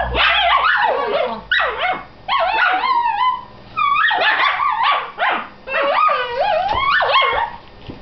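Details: Dachshund sisters arguing over a tee pee, trading shrill yelps, bouncing barks and wavering whines in near-continuous bursts over eight seconds, pitch swooping up and down with brief pauses between volleys.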